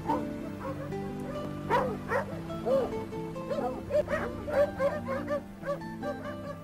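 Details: Karelian Bear Dog, a hunting dog said to mark the place and start barking on finding game; a lively string of many short, high yelping barks, irregularly spaced, over continuous background music.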